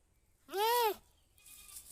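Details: Goat giving a single short bleat, an arched, nasal, harmonic-rich cry lasting about half a second that rises then falls, followed by quiet with faint rustling noise.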